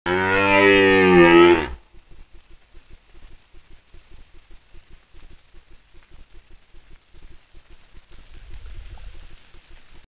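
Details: Red deer calling on Papuk Mountain: one loud, harmonic, slightly rising bellow under two seconds long, followed by quiet with faint clicking and rustling.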